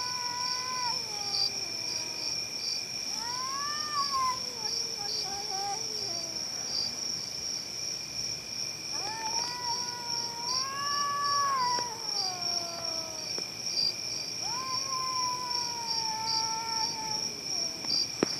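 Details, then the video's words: Several cats making loud, drawn-out yowls that waver and bend in pitch, some rising then falling, in bursts across the clip, with a steady high-pitched whine in the background; said to be much louder in person. "Cats making horrible noise"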